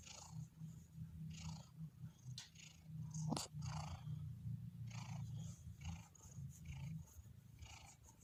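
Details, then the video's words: Deep, loud purring from a relaxed domestic cat, a strong continuous low rumble with rhythmic breathy pulses and a single sharp click a little past the middle. "Relaxing Cat's Purring ¦ Kucing Mendengkur"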